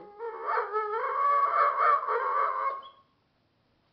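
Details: A male Dogo Argentino "speaks" to his owner, apparently trying to tell him something. He gives a drawn-out, wavering, harmonic yowl that bends up and down for nearly three seconds, then falls silent.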